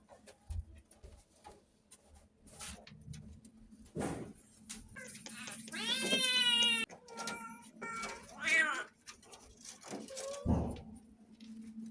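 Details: Stray cats at a rescue shelter whose food stock is dwindling. Several drawn-out, wavering meows rise and fall amid a human voice, knocking and a low background hum.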